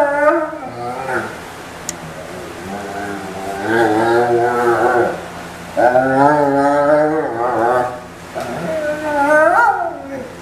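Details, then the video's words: German Shepherd dog groaning and whining as it gets towel dried, November 2012; long, bending vocal moans in three or four sustained bursts, some pitch wobbling upward at the ends, with quieter gaps between. "German Shepherd (Max) moaning whille getting towel dried"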